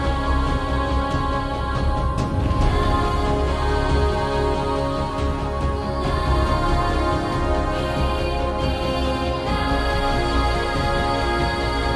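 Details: Dense orchestral music with sustained low tones and layered harmonies fills the recording, with no animal voices audible.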